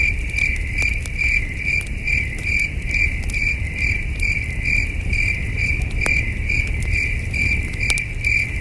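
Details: Chirping crickets on a cool night in the wilderness, steady, piercing pulses repeated roughly twice a second, with the crackle of a campfire and faint low background noise.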